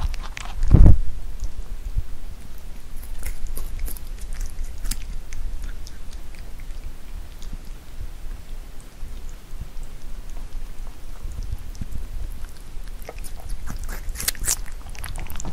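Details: Pet rabbit chewing Korean melon in a close ASMR recording: one loud thump early on, then soft, sparse, moist chewing clicks over a quiet low hum.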